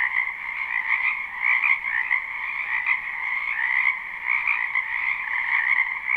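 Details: Spring wetland frog chorus recorded live: many frogs croaking together in a thick, unbroken wall of rapid trills, slight swells in loudness every second or so.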